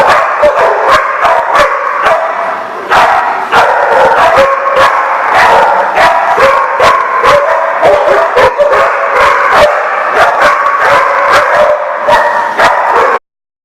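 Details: Dogs recorded on August 29, 2014, in a dense chorus of rapid, sharp barks and higher yips overlapping several times a second. It pauses briefly near three seconds, then continues until a sudden cutoff at the end.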